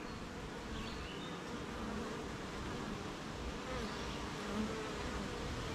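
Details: Honey bees at their beehive on a rainy morning, surrounded by gardens, farms and fields, making honey; a dense, steady hum of many wings with faint higher whines passing over it, broad and unbroken throughout.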